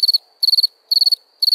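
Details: Crickets chirping at night: high, shrill chirps, each a quick burst of four or five pulses, repeating about twice a second over a quiet background.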